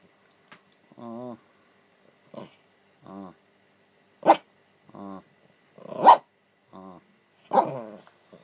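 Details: Pet dog named Rocky, persistently trying to wake his owner indoors, makes drawn-out, wavering whines and groaning moans at irregular intervals, while a person cries out "ow" and "hurry" between them.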